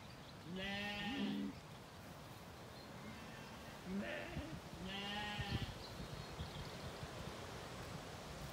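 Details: Zwartbles lambs after weaning, wandering an orchard on a farm in County Kilkenny, Ireland, in the evening: two longer bleats and a short fainter one, over rumbling wind or handling noise.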